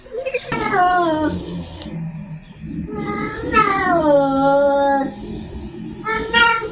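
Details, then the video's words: A female cat in heat yowls to draw a male closer, with long, bending, descending wails, one stretched to about two seconds, and a short cry at the end, inside a small room. "Suara dan Tingkah Kucing Betina Birahi || Bisa Buat Manggil Si Jantan Mendekat"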